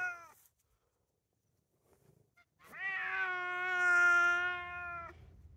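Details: Bruno, a talkative male Bengal cat who meows and yowls a lot, gives a short call, then after a pause a long drawn-out harmonic meow of about two seconds, swelling and steady in pitch; a person is heard coaxing him to walk.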